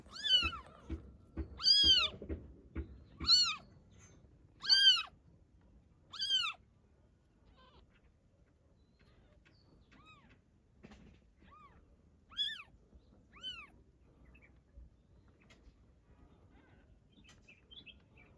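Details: Mother domestic cat carrying her newborn kitten; five loud, high, arched meows come in quick succession over about six seconds, followed by softer, spaced meows and light rustling in the background.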